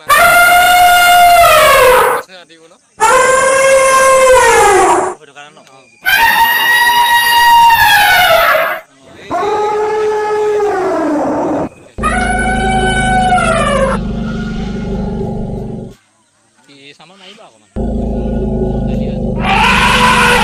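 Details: Elephants calling in a tea garden at Kathiyatoli Rengbang: a run of long, brassy trumpet blasts, several sliding down in pitch, broken by short silences, with a deep rumbling layer beneath some later calls.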